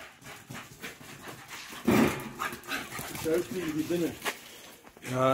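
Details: Patterdale Terriers chasing and playing: a loud harsh bark burst near two seconds, then tonal, wavering yelps and whines, and a short rising yelp at the end, over scuffling, rustling and faint talk in the background.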